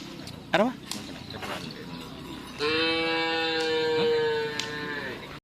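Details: Madura cattle at karapan sapi bull-racing practice, Asemanis field, Pamekasan: a long, steady, harmonic-rich lowing holds for nearly three seconds and sags slightly at its end, after a brief rising cry and a background of voices and crowd noise.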